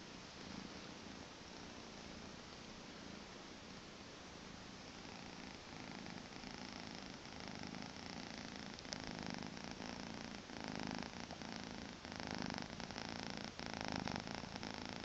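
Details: Purring from a two-month-old Maine Coon kitten on a weekend morning, a continuous low buzzy drone that grows slightly louder and more pulsing toward the end, with a few faint clicks.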